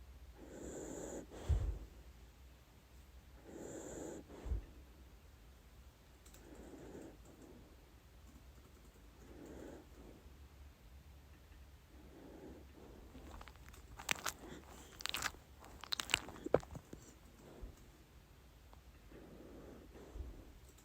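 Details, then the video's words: Sleeping dachshund Lady Ruby snoring through her dreams; gentle rasping breaths recur roughly every two to three seconds, interrupted midway by a cluster of sharp clicks and snuffles indoors. "Ladies Don’t Snore"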